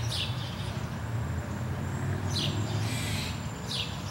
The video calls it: Squirrel Bark